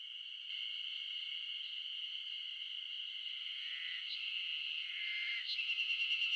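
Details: Wild Ezo spring cicadas chorusing in the Shinetsu highlands of Japan in mid-June. A dense, continuous shrill buzz runs unbroken, and a nearer caller adds a pulsing, throbbing rhythm toward the end.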